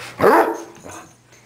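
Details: Happy dog indoors giving a single loud, short, rough bark followed by a fainter echoing yelp, with a low hum in the room.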